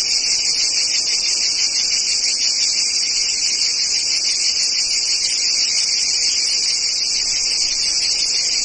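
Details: Jungle cicadas fill the air with a loud, continuous high-pitched buzzing drone.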